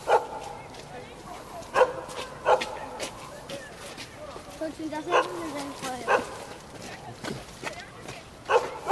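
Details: Jindo dog on a building rooftop barking to greet visitors in Jeonju, North Jeolla Province, Korea; sharp single barks at irregular intervals, some in quick pairs, with people talking in between.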